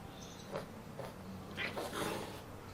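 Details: A pregnant orange classic tabby cat, described as very greedy, gives a few short mid-pitched cries spread over under three seconds. The last two are brighter and louder, set against a low steady indoor hum.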